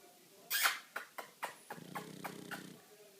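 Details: Pug. A pug snores in its sleep: a few sharp, hissy snorts and sniffs come first, followed by a low, buzzy, rattling breath lasting about a second. The room is otherwise quiet.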